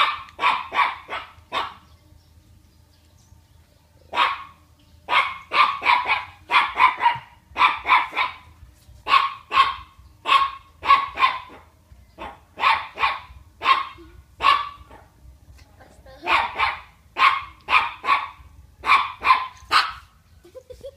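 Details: Havanese barking angrily: sharp, bright barks fired in quick runs of four to six, each run separated by short silent gaps, repeating steadily for about twenty seconds over a faint low hum.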